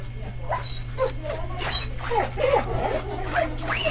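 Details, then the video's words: Newborn Clumber Spaniel pups in their first few hours, being resuscitated and taking a first feed: a busy stream of thin, high squeaks and wavering whines overlapping one another, over a steady low hum, with people talking nearby. "Clumber pups first few hours"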